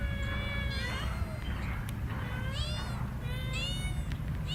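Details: Kittens playing on green grass give a series of drawn-out, slightly wavering meows, about four across a few seconds, over a steady low rumbling background.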